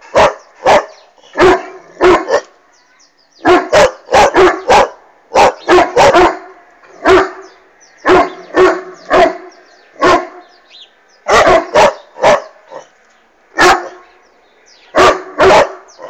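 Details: Irish Wolfhound Bastian barking steadily at a hot air balloon passing overhead: sustained series of deep, booming barks, often in quick pairs and triplets, continuing through the whole stretch with only brief gaps.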